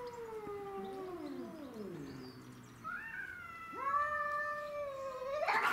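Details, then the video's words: Domestic shorthair cats, Tom, Mimi and a grey-and-white stray, fighting over territory; a descending moaning howl followed by a rising, swelling caterwaul that climbs and holds, ending in a harsh loud burst. "Craziest Cat Fight Compilation Video"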